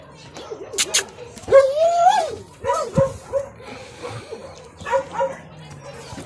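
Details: Negrito, a dog that has just emigrated and is still learning to trust, gives a few rising and falling whining yelps in short bursts, with a person speaking quietly nearby.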